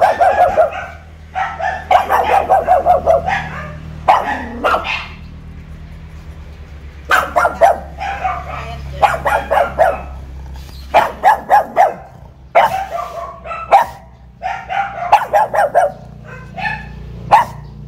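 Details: A pug kept caged at a house entrance, still new to the home, guards it while being teased: rapid volleys of yappy barks, a quiet gap near the middle, then renewed clusters of three to five barks.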